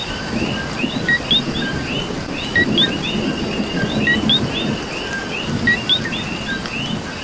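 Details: Coquis chorusing during heavier rain in Puerto Rico; rising co-qui calls from several frogs overlap one another above a louder roar of rain on surfaces and low rumbling.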